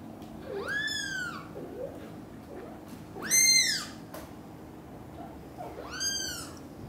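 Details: Cream, a British Shorthair kitten cared for by two mother cats, gives three loud high meows, each a bright rising-and-falling arc, roughly two and a half seconds apart, with faint soft sounds between.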